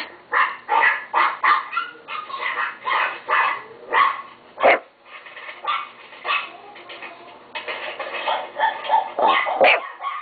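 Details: Pet Chihuahua giving a long series of shrill, clipped barks at a fast steady pace, some softer whiny yips mixed in near the middle.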